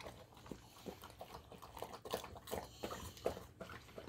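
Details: Indoors, a Golden Retriever works through dry food moistened with simmered sea bream soup, plus dried mamakari, flaxseed oil, whole egg and seared meat. Steady crunching bites and smacking, about two per second.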